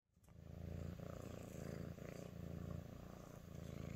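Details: Female Sphynx cat purring while showing affection to her human: a low, steady rumbling purr that pulses in regular breaths about every second, with faint rustling on top.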